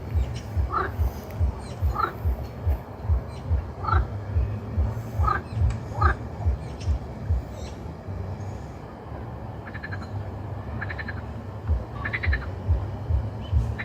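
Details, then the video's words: Croaking frogs in a steady chorus of low, rhythmic throaty pulses about twice a second, easing off midway before rasping, rattling calls return. "Croaking Frogs Sound Effect"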